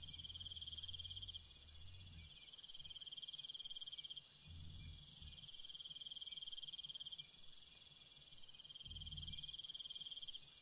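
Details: Chorus of crickets at night, fast pulsing chirp phrases separated by short gaps over a constant high-pitched trill, punctuated by several dull low rumbling thumps.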